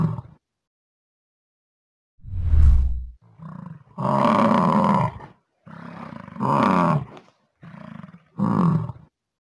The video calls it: Bison sound / What sound does bison make / Animal sound library